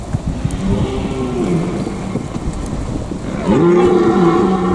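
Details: In the Eifel, a red deer stag gives deep, drawn-out, moaning rutting calls.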